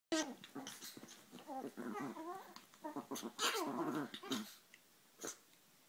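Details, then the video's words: Two Chihuahuas scuffling indoors, fighting each other: dense, rough growls with wavering, rising and falling pitch, snarling bursts and fast panting breaths in quick irregular succession, a brief pause near the end before one last growl. "le choc des chihuahuas"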